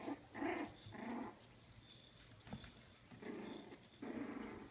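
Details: Four-week-old Coton de Tulear puppies give four short bursts of mid-pitched whining and grumbling, each about half a second long, with quiet gaps between them.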